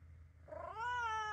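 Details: Mimi, a three-year-old calico cat kept at home, only lately growing used to her owner and still not touchable, gives a single drawn-out meow that swells and rises, then holds steady and bright with rich harmonics over a faint low indoor hum.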